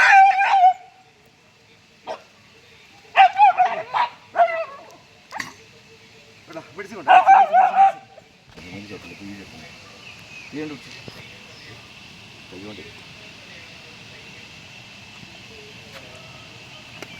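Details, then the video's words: A dog trapped in a pig snare yelps in quick, repeated bursts for about eight seconds, with people's voices, then a steady hiss of background noise. "ഒരു പന്നി കെണിയിൽ പെട്ട നായ"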